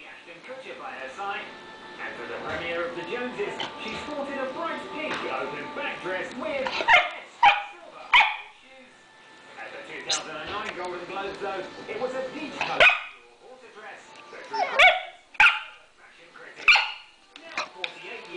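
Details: Female pet dog barking while begging for the owner's bacon and eggs: sharp single barks spaced a second or two apart in the second half, over steady background speech and music.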